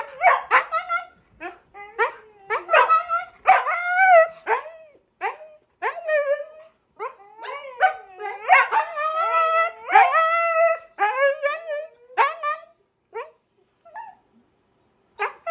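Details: Siberian Husky with another dog, both making noise together: a long run of loud, wavering, yodel-like cries and yelps, rising and falling in pitch with short gaps, some overlapping, plus a little human speech.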